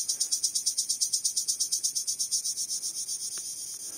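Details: A male cricket calls to attract females by rubbing its wings. It makes a steady train of quick, shrill, high-pitched pulses, about eight each second, that softens and blurs toward the end, with a couple of faint clicks.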